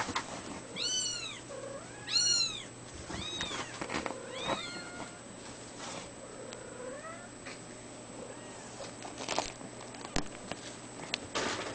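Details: Young Ragdoll cat, A-chan, mewing in a burst of five or six short, bright, rising-then-falling cries over the first seven seconds, then the room falls mostly quiet apart from soft clicks and a faint steady electrical whine.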